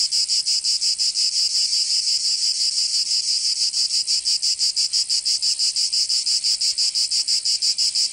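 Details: Provence cicadas in summer, southern France, keeping up a bright, metallic buzzing song with very regular fast throbs, roughly three per second, steady in loudness and free of other noise.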